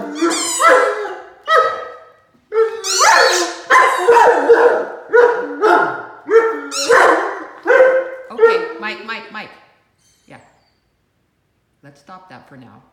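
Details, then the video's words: Mikey, a Great Dane puppy, howling at his mouse squeaky toy during play. Drawn-out harmonic yowls rise and fall in quick succession, roughly one per second for about ten seconds, then a few soft, quieter sounds trail off at the end. "Squeaky toy sends Great Dane into howling fit"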